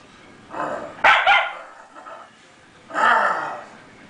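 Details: White schnauzer indoors reacting to a new deer wall decoration it dislikes: two separate bursts of rough, harsh barking about two seconds apart, with a brief sharper yap between them and quiet room noise.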